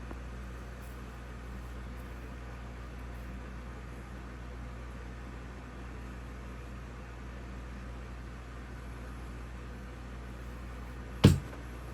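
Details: A steady low hum of indoor machinery or traffic fills the room, broken by one brief click near the end. No animal voice can be picked out.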